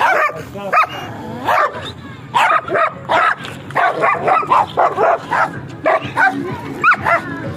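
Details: Heavy-coated German Shepherd barking repeatedly in quick bursts, mixed with higher whining and yelping tones, barks clustered closely with few pauses.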